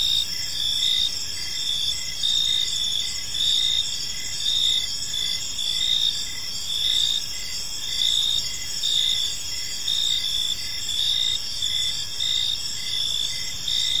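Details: Evening park crickets keep up a continuous shrill chorus, with overlapping high trills and a regular pulsing rhythm roughly every second, above soft broadband environmental noise.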